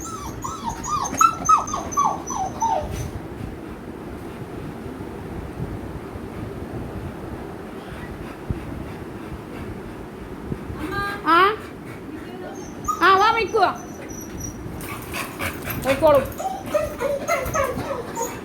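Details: An American Bully named Mikku, happy at being taken out on a trip, which he loves most: a few high, wavering whines falling in pitch, then long pauses and later bursts of whimpering over a steady background hiss.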